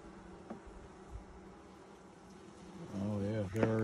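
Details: Honey bees during a first hive inspection in 2020, six days after nucs were installed: a steady low buzzing drone with a higher overtone, then a person's voice joins and dominates the last second.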